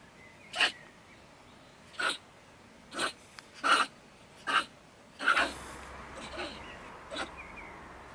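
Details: Angry female stone marten (beech marten) at her woodpile next to a shed in Germany, ranting at night. Loud harsh sneezing bursts, roughly one every second or so, seven in eight seconds, with a faint hum later.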